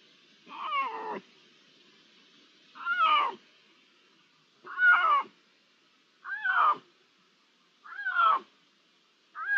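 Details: Repeated meowing from Iberian lynx, one to three animals, on 16 June 2023: six harmonic, slightly wavering mews, each about half a second long, arriving roughly every one and a half seconds over low background hum.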